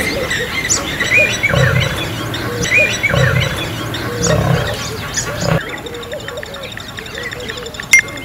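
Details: Male lions in a territorial fight in Kruger National Park, an aging male against younger rivals. Rasping snarls and throaty growls fill the first half, then the fighting sounds fade to quieter background noise with a sharp click near the end.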